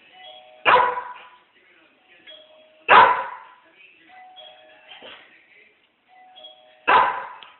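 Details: Dog barking at the doorbell: three loud, sharp barks at irregular spacing, the last after a longer pause, with faint tonal chimes and soft murmuring sounds in the gaps between barks.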